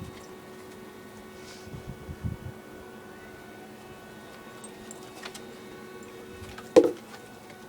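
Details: Quiet indoor room with a steady tone, soft shuffling and a sharp knock near the end; no animal sound is heard.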